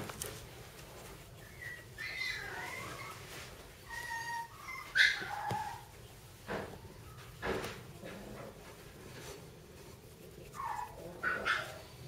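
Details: Several young Cairn Terrier sibling puppies whimper in thin, wavering squeaks, some sliding upward, others short and clipped, scattered irregularly among soft thumps and shuffling in a small room.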